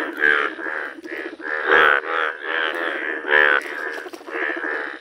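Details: Yellow-coloured Indian bullfrog calling in nature: loud, nasal, harmonic croaks in uneven bursts, about 38 per minute, some short and some drawn out, with gaps between.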